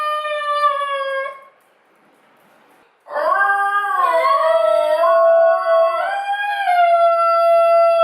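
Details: Yodelling Basenjis in a double yodel: a clear held tone that breaks off, a short silence, then a loud bending yodel that dips and rises in waves before steadying into a sustained note.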